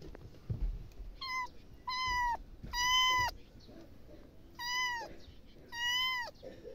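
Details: Domestic cat meowing in five clear, drawn-out calls spaced about a second apart, each with a strong harmonic stack that holds level and then drops slightly at the end, over a low background hum.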